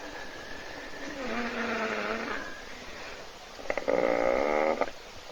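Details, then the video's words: Hippo asleep and snoring in a puddle at a South African waterhole webcam, other animals waiting for it to wake; a softer wavering harmonic breath, then a louder buzzing, pulsed snore of about one second. "Бегемот Hippo храпит в луже"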